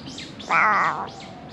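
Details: Stray cat living among discarded rubbish, filmed on a GoPro HERO8: one drawn-out, harmonic meow of about half a second, steady then gently falling, over a quiet background hiss.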